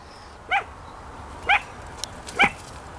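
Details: Chihuahua barking indoors: three short, sharp, high yapping barks about one second apart, each bright with stacked overtones, over quiet room hum; French speech just before and after.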